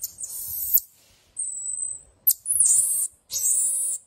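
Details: Marmoset, or pocket monkey, kept as an exotic pet in Chennai, giving very high, thin whistles: bursts of sharp chirping, a long level whistle held near the middle, then more shrill chirp bursts with only faint low background noise.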